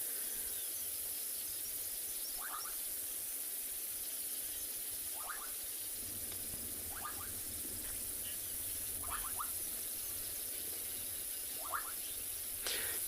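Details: Frogs call from a reed-filled water pan in the Kalahari, South Africa, on an afternoon safari drive on 28 February 2021: short, rattling chirps every two to three seconds over a steady background hiss.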